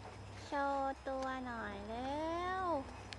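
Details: Golden retriever puppies at a dog-breeding farm. A short, steady, tonal whine breaks off and is followed by a longer, wavering cry that sinks, rises and then drops away at the end. A low electrical hum runs underneath.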